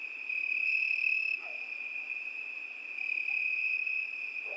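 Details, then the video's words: Crickets singing on a summer night: a steady, high, shrill trill held without a break and swelling slightly in loudness. A few faint lower calls sound briefly underneath. "ЗВУКИ ЛЕТНЕЙ НОЧИ. ПОЮТ СВЕРЧКИ."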